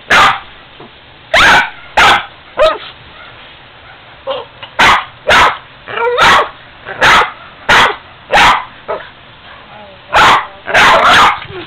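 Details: Boston terrier named Ester objecting to an old piggy bank: bursts of loud barks, some paired, broken by quieter whining yips and pauses, while someone eggs her on with repeated encouragement.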